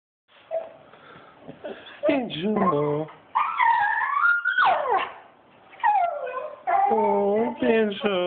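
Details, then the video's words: A dog crying while his owners are away in Switzerland for a couple of weeks. He gives wavering whines and howl-like cries that swoop up and down, in bursts separated by short pauses. "the crying dog"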